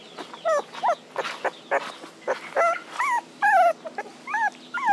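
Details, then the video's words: Puppies crying for their mother: high, tonal whimpers that rise and fall, overlapping one another at roughly one per second, with short yelps between them and a steady faint hum in the background. "Puppies Cry Need Mom to Be Around"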